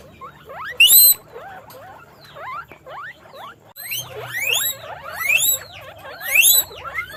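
Guinea pigs give a stream of high, rising squeaks that overlap in quick bursts.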